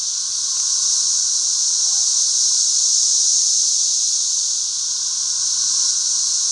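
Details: Thousands of 13-year locusts, periodical cicadas, fill a back yard with a constant high-pitched, sizzling drone and a softer underlying hum; the chorus swells slightly midway, with one faint short whistle early on.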